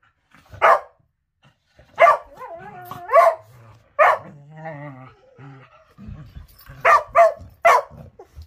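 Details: Morning play of a Whippet: sharp barks separated by wavering, whiny growls with clear harmonics, a lower rumbling growl mid-clip, then a final burst of three barks.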